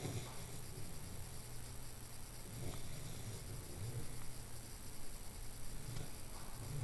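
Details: A sleeping Newfoundland dog named Sebastian snores indoors, a low continuous rumbling drone with a steady deep hum and faint hiss above, no clear pauses between breaths.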